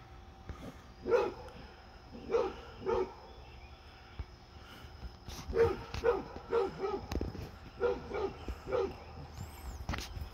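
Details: Basset hound Fred, during one of his deer friend's visits, barks in uneven bursts of two to four deep, hoarse woofs separated by short pauses, with soft background noise between.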